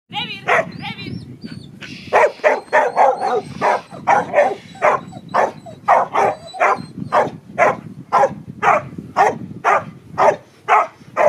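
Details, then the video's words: Border Collie Panda, a 9.5-year-old retired agility dog, during protection training: a rapid run of sharp barks at roughly two per second, rather uneven, with a few whining, wavering yelps at the start and low background rumble. "border collie Panda protection training"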